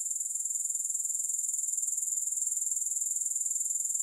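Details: Grasshopper chorus without music: a steady, very high-pitched shimmering trill, finely pulsed at a fast even rate, unbroken throughout, with no other sounds.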